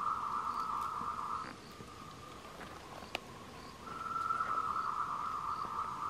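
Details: Tree frogs on the Wulong trail at Meiling, Nanxi, Tainan, Taiwan, recorded 26 April 2018, give a rapid, buzzy trill in long bursts, a courtship call to attract mates.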